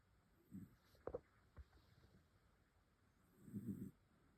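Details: Sleeping dog snoring; two low, soft rumbling breaths sound about three seconds apart, with a couple of faint clicks between them in a quiet room.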